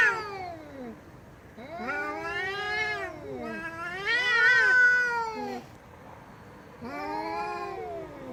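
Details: A cat meowing loudly: several long, plaintive meows arching up and down, one wavering wail in the middle, separated by short pauses.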